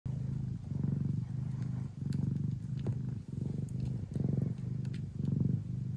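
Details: Traditional Siamese (Thai) mother cat named Mia, kept in the Netherlands, purring hard while feeding her hungry kittens; deep pulsing purr in steady inhale-exhale cycles about every second, with faint clicks and suckling sounds above.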